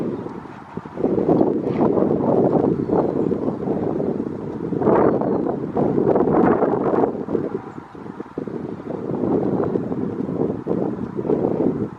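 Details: Steady wind buffeting the microphone with low rumbling noise throughout, and no clear animal voice.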